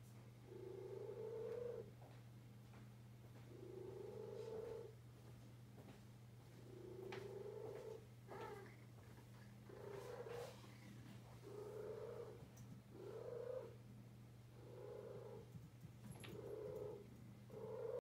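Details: Deaf female cat purring loudly indoors, unaware of how loud she is: rhythmic rasping purr in breath-paced bursts roughly every one and a half seconds, over a steady low electrical hum.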